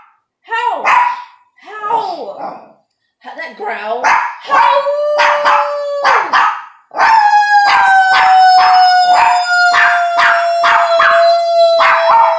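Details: Household dog joining a woman's encouraging howls; short vocal bursts and speech give way to a long, slowly falling howl held for several seconds, with rhythmic accompanying voice pulses.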